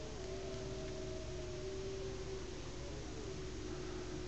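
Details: A wolf's long, steady howl holds a mid-pitched note over an idling engine, one of three or four wolves heard at a winter sunset roadside stop on the drive from Fort Nelson, northern BC, toward Whitehorse.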